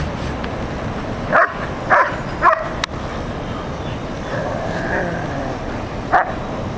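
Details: Dogs Rocco and Molly, an Airedale Terrier and a Labrador, barking outdoors: three sharp barks about half a second apart, then a pause and one more bark, over steady background rumble.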